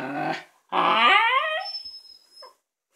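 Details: Momo, a female Shiba Inu, barks at her new ball: a rough bark, then a long, high, wavering yelping bark that slides downward.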